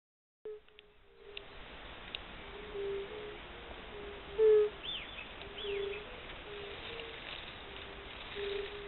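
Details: Spring chorus of fire-bellied toads giving soft, mellow, low hoots repeated at irregular intervals, while birds add thin chirps and short whistled slurs above them.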